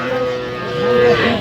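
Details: A cow or calf at the Aftabganj cattle market in Dinajpur on 21 January 2026, where cows with calves are for sale. A short, steady, tonal moo holds one pitch for about a second over a murmur of market voices.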